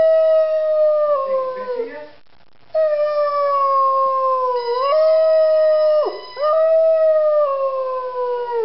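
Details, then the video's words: Zari, a three-year-old Rhodesian Ridgeback, singing: long sustained howls around a steady mid pitch, each sliding slightly downward, broken by a brief silence and a sharp dip before resuming. "Singing Rhodesian Ridgeback"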